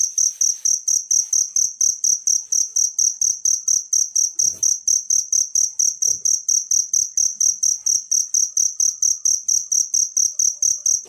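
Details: Wild cricket recorded as a tutor track for songbirds, giving steady high, piercing chirps roughly twice each second, backed by soft low pulses and a couple of faint knocks.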